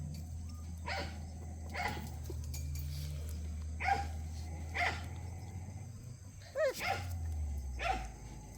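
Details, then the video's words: Puppies of Cheondol playing; a run of about eight bright, short barks roughly one per second, some slightly rising, over a low steady background hum. "천돌이 강아지들///언니야 놀자///"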